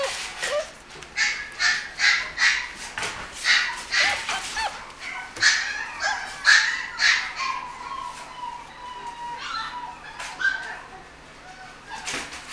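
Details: Male Shiba Inu giving a rapid series of loud, high, whining yelps in bursts, about a dozen in close succession, then softer drawn-out whimpers trailing off toward the end.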